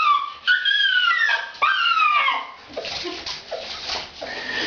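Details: Female dog making a shrill, helpless noise while being bathed because she smelled bad: high whining cries with harmonics sliding downward, two long wails then softer, choppier whimpers with faint splashing.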